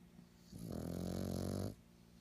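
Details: A stressed black pug gives one loud, rough, groaning scream lasting just over a second, low and buzzy, between quiet indoor stretches.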